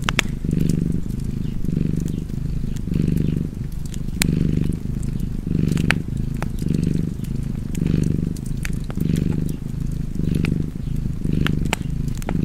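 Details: Cat purring beside a fireplace: a steady low rumble that swells and fades in roughly ten slow breath cycles, with sharp wood-fire crackles and pops scattered throughout.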